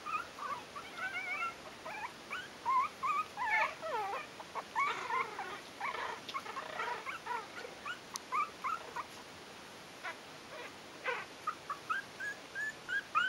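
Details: Yorkshire terrier puppies aged four weeks, a kennel litter, whining and squeaking in overlapping bursts; several pups call at once, with thin wavering whimpers, a few sharper yips, and brief clicks and rustling between calls.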